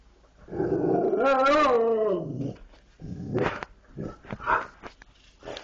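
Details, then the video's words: Dogs 'talking': a long, wavering, harmonic moan rises and bends for about two seconds, followed by shorter grumbling vocal bursts and scattered clicks. "dogs talking"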